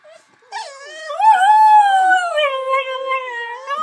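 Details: Pet dog howling while watching a clip of a singing Yorkshire terrier: a sustained tonal howl with rich harmonics, first rising, then wavering and slowly falling over about three seconds.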